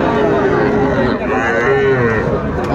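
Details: Sahiwal bull calves at Aftabganj cattle market, Dinajpur district, Bangladesh, on a Tuesday, 11 February 2025; steady, drawn-out mid-pitched lowing with overlapping moos from several animals over constant crowd chatter.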